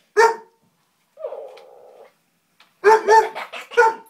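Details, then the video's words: Ronin, a 12-month-old Hungarian Vizsla, meets the dog Biscuit for the first time: one sharp bark, a drawn-out nasal whine, then a quick run of three or four loud barks. "Hungarian Vizsla meets Biscuit the dog!"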